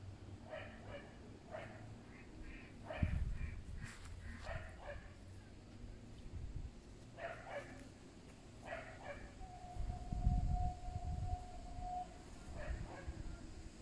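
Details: Pet fox, one of three rescued from a fur farm and kept by a family, gives short, clipped yips in quick uneven bursts, then one long steady whine late on, over rustling and low background rumble.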